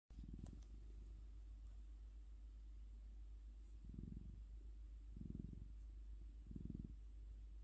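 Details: Sleeping orange cat purring: a low, pulsing rumble that swells into three soft bursts roughly 1.3 seconds apart over a steady quiet hum, with no other sounds.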